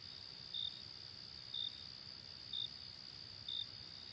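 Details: On a late summer night, a cricket gives four crisp, high chirps at about one-second intervals while a continuous shrill insect hum fills the background.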